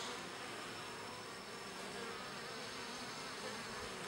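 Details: Steady droning buzz from a mass of bees grooming one another in their hive, even and unbroken, a thick low-to-mid hum with no other clear sounds.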